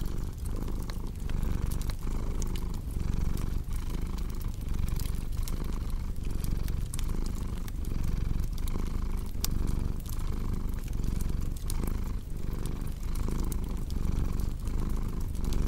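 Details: Cat's purr: a deep, throbbing drone with regular breath-paced pulses throughout, mixed with a cozy fireplace's crackling and scattered snapping clicks.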